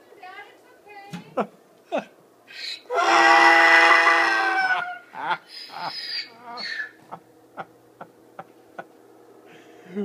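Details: Miniature donkey braying: one loud, harsh, harmonic blast lasting about two seconds, with short grunting and huffing sounds before and after it and people talking nearby; a mini horse shares its home.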